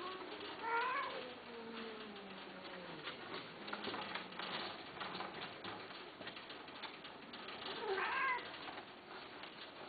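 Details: Persian-Himalayan cats, male and female, at mating time: a long low wavering yowl sliding downward over several seconds, a sharper higher cry at the start and another near the end, with steady background hiss.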